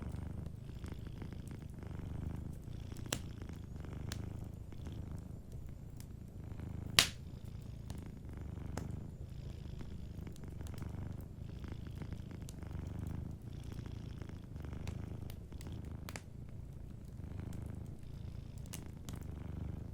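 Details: Soft, unbroken low purr of a sleeping cat with a cozy fireplace crackling nearby: a rhythmic rumbling that pulses with each breath, plus scattered snaps and one loud pop from the fire.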